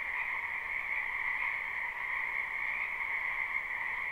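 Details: Frogs croaking en masse in a wetland during spring, captured live: a constant buzzy chorus with a bright upper band and a softer lower band, no pauses, no other animals or people.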